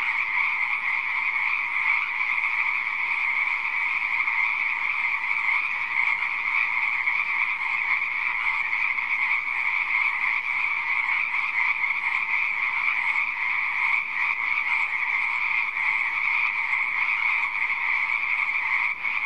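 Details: A dense chorus of frogs in a pond, their croaks blending into a steady, ringing trill without pause.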